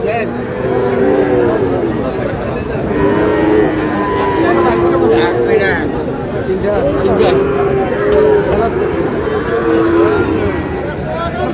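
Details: Sahiwal bull calves at Amboari cattle market in Manikganj, Bangladesh, on 14 August, during buying by a farmer; low drawn-out moos recur through the clip beneath steady crowd chatter and bargaining voices.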